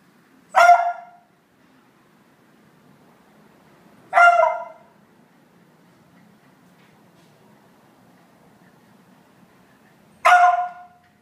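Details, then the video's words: Laika, a pet dog, barking indignantly at Phoebe, another dog who has taken her favourite toy; three sharp single barks spaced several seconds apart over a quiet background. "Laika barking at Phoebe"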